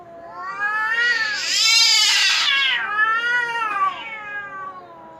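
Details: Cat uttering a horrible loud yowl: a long wail that swells and rises into a harsh, strained scream, then falls away into a quieter wavering moan.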